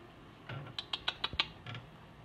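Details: Southern flying squirrel (Glaucomys volans), call.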